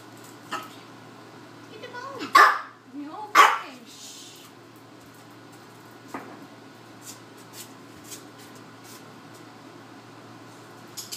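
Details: Chihuahua resource guarding a raw bone, his highest value prize, during training work; two sharp loud barks close together around the middle, with soft growly sounds and a person's quiet voice in an indoor room.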